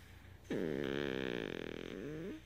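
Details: Elvis, a Beagle, makes his "purring" sound: a single two-second voiced rumble with steady, wavering pitch and rich overtones, rising briefly at the end, in a quiet room.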